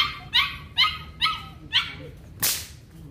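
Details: Belgian Malinois during an introduction to bite work training: five sharp, high barks repeated about every half second, followed by one loud broadband crack or rustle.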